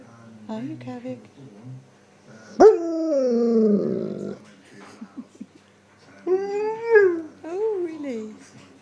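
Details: Male Alaskan Malamute husky 'talking' to its owner with his woo chat: brief yips, then a loud rising-then-falling drawn-out woo ending rough, followed by two wavering, bending woos, with the owner's praise spoken between them.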